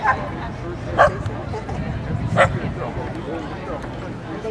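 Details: Keeshond puppies giving two sharp, short barks about a second and a half apart, set against a steady background of people talking.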